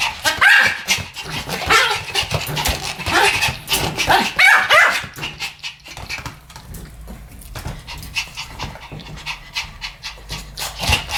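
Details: Pomeranians barking in a duet: sharp, high yappy barks in quick irregular bursts for the first five seconds, then softer rapid breathy sounds that sound like panting or short huffs.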